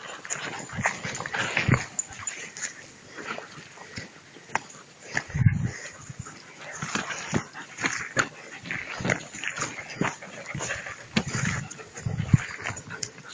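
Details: Two-month-old puppies playing with a rag during prey drive training; short rough growls, snorts and yips come in bursts over scuffling and thumping, with a person speaking Spanish in the background.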